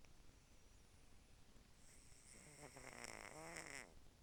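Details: A sleeping cat snoring: very quiet, soft, rhythmic breathy snores with a faint buzzing tone that grows slightly louder toward the end, in a hushed indoor setting.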